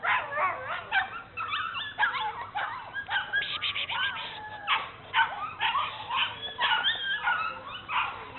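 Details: Bernese Mountain Dogs named Mrs. Red and Mr. Green, out exploring at Cape Bernese Kennel, produce steady high-pitched whimpering and squeaky yelps, sliding up and down, packed closely with only short breaks.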